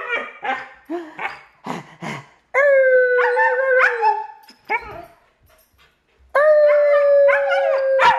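A German Shepherd puppy gives quick yaps, then long, steady, mid-pitched howls.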